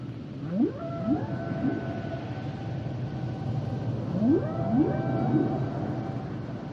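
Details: Humpback whale song with repeated rising upsweeps in two bursts of three, each sliding up into sustained high tonal moans, set against a steady low underwater rumble.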